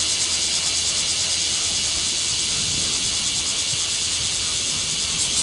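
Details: Swarm of cicadas in Japan producing a continuous shrill buzzing, an even wall of high hissing sound with slight rhythmic pulsing, constant in loudness from start to finish.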